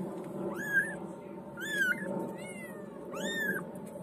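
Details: White female kitten giving three high, thin meows, each rising then bending down, spaced about a second apart, over a steady low background hum.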